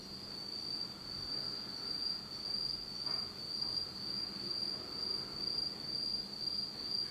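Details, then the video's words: Night insect chorus in a Japanese autumn, recorded in complete darkness: a sustained high trill that pulses gently in loudness about twice a second, with faint fainter trills above it. "真っ暗闇の秋の虫の声 Beautiful sound of insects in the fall of Japan in total darkness."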